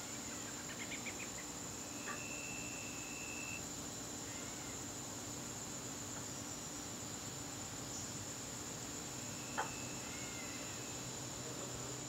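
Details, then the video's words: Garden crickets calling during a September evening: an unbroken shrill trill runs throughout, joined by a few brief whistled notes from another creature and a soft click near the end. "garden crickets"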